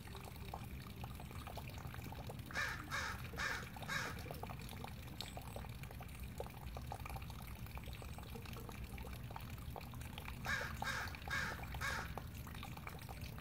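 A Douglas squirrel gives two bursts of four harsh, raspy barks over a low rushing background.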